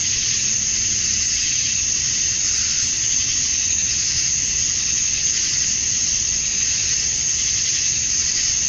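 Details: A Georgia summer-night chorus of male cicadas at dusk, calling for females: an intense, sustained shrill buzz rising and falling slightly in loudness, nothing else distinct.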